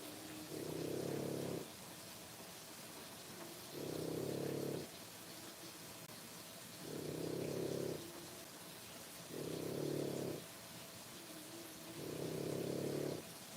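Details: Sleepy rasping breaths from three-week-old French Bulldog puppies, born 1/10/25: five low, snore-like pulses of about a second each, evenly spaced over a quiet steady background.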